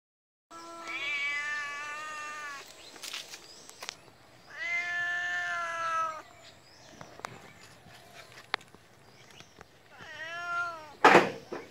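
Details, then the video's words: Pet cat meowing in three separate bouts: a long level cry, a strong sustained wail, and a brief bending meow, separated by gaps with faint taps and rustling. "Meow @ Cat... The Cat like a wild Cat"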